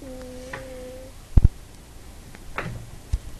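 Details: Sleeping female house cat on a bed gives one steady, humming, fart-like snore lasting about a second, followed by a few soft knocks and thumps in a small indoor room; recorded on an iPod.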